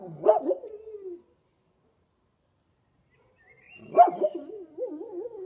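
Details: Kuvasz dog "talking" with a sharp yelp that trails into a low groan, then after a pause another yelp followed by a warbling, undulating moan; no other sounds.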